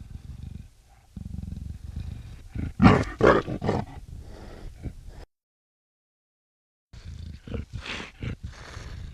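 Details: Black leopard producing a low rumbling growl over steady background noise, building to a series of loud raspy roars near three seconds, then a cut of silence before more throaty snarls and hisses resume.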